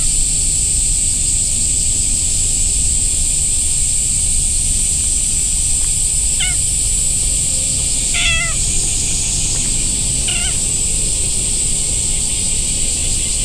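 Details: Orange-and-white stray cat in a park with a large pond, rolling on the ground and kneading while being petted; three short, clear meows near the middle, each slightly rising then falling, over a steady hiss of outdoor background noise.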